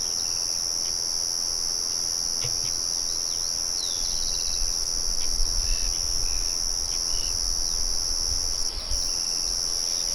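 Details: A steady high cricket trill in the open countryside, with a mill murmuring in the background. Scattered short bird chirps and whistles run over the trill, and a low rumble grows midway.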